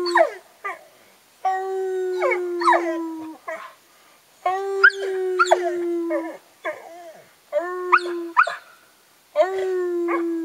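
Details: Three pet dogs, Ben, Ludo and Tina, howling together: long sustained howls broken by short silences, overlapped by rising and falling yips and wavering higher voices, forming a noisy chorus.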